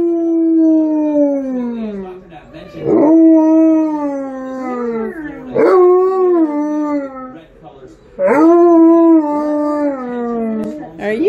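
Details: Alaskan Malamute, a pet dog, howling along while watching videos of other dogs: loud, harmonic howls that rise sharply then slide slowly downward, each lasting about two to three seconds, repeated in a steady series.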